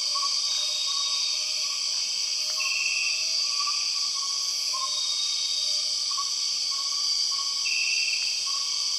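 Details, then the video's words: Empress cicadas calling in Borneo's rainforest: a loud continuous high buzz with two short harsher bursts, about five seconds apart, plus scattered faint wavering whistles and soft clicks beneath. "The weird sound of empress cicadas"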